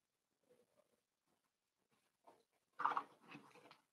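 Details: Four-week-old Cavalier King Charles Spaniel puppies in an indoor puppy pen, meeting other dogs and trying puppy mash. Faint scattered soft noises, then a short burst of higher, wavering whimpering near the end of a quiet room.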